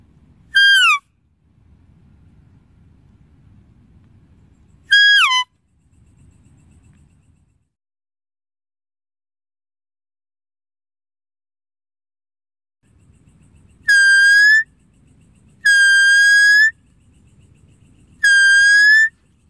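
A deer gives high, clear whistled calls, each dropping in pitch, spaced several seconds apart.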